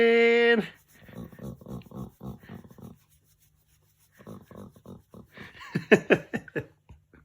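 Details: A Golden Retriever being petted gives a drawn-out whining groan, then a run of rhythmic pig-like grunting huffs, while a person speaks.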